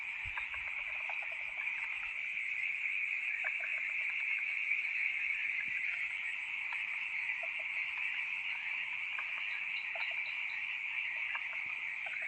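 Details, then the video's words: Frogs making a loud noise at night: a dense chorus of many callers, with a steady high ringing trill overlaid by scattered short, clicking croaks repeating rapidly and irregularly throughout. "FROGS making a loud noise during the Night"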